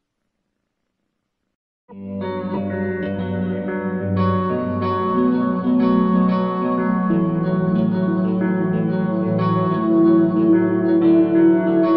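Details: Silence for two seconds gives way to plucked guitar music with steady, sustained chords and no animal voice.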